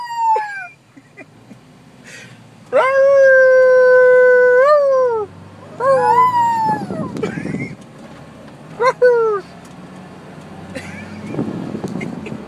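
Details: Prompted by its owner, a pet Yorkshire Terrier gives a long, steady howl that drops at the end, then shorter wavering howls that fall in pitch, with some low background noise.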